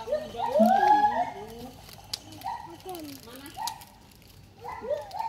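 A siamang gives loud, tonal whooping calls that swoop up and down in repeated bursts.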